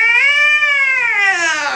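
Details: Angry domestic cat at the vet gives one loud, sustained scream-like yowl, bright and harmonic, holding steady then sagging in pitch at the end.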